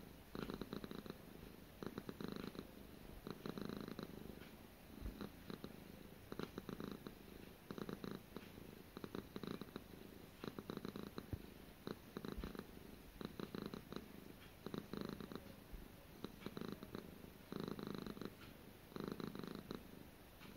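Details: Long, relaxed purring by Gara, a house cat: some fourteen rhythmic breathing cycles of deep, pulsing rumble, bursts fairly even and closely spaced, with faint occasional clicks in a quiet room.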